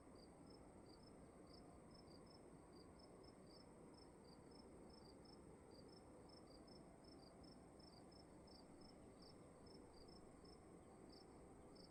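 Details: Crickets calling in a room: short high chirps repeated about twice a second, two callers at slightly different pitches interleaving, over a steady low hum of room noise.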